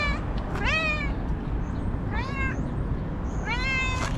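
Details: A cranky white female cat that has lately grown nervous gives three clear, drawn-out meows. Each rises and then falls, and they are spaced about a second apart over steady low background rumble.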